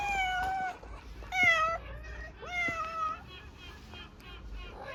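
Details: Stray cat on an Istanbul street, hungry and asking for food, gives a run of four whining meows, the middle ones bending upward then falling, closely spaced, over low street rumble.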